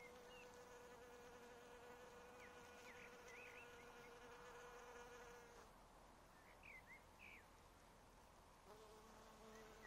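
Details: Apiary honey bees fed caffeine, continuous humming buzz that shifts in pitch partway through, with brief bird chirps scattered above the drone.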